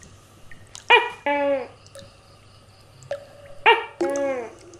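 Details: Tokay gecko calling, a giant gecko; two paired call groups, each a sharp harmonic bark followed by a longer descending harmonic croak, the pairs repeated about three seconds apart, with a low steady hum beneath.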